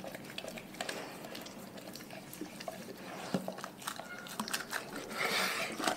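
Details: Dogs from one pack eat their raw food diet indoors, with wet smacking and sharp crunching bites scattered throughout and a louder burst of chewing near the end.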